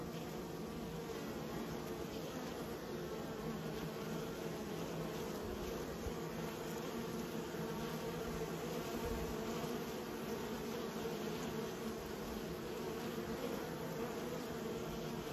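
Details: A continuous buzz from raised honey bees holds a steady low droning tone throughout, even in loudness, the massed wingbeat of many insects.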